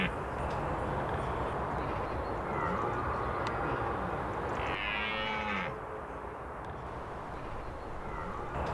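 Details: Autumn rut in the Scottish Highlands: a red deer stag with harem gives a single harmonic roar of about a second midway, a fainter roar earlier, all over heavy gusting wind noise.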